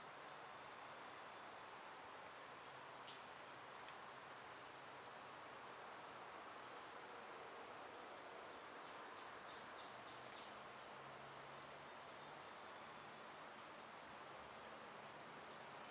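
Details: Summer insect chorus dominated by cicadas: an unchanging high-pitched whine holds for the full length, with sparse faint ticks and a soft low hum in the background.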